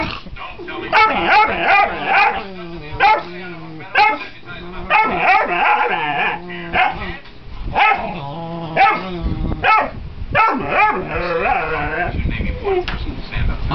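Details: Foster puppy, upset because no one wants to play with it, yapping in rapid, insistent high barks through the whole stretch, with occasional human voices underneath.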